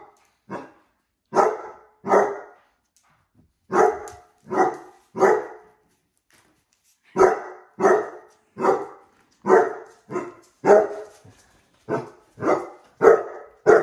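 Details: Basset Hounds Musta and Ari, house dogs upset by heart balloons, bark steadily in irregular runs of two to four deep, ringing barks, with a short quiet gap midway before a fast closing series.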